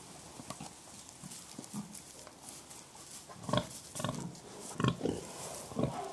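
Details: Pigs expressing contentment through soft grunts, a series of brief low grunts and snuffles at uneven spacing, louder in the second half, over faint background hiss.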